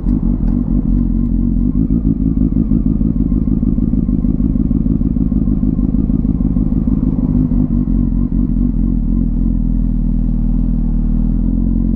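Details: A motorcycle engine rumbles loudly and steadily throughout, with no animal sound.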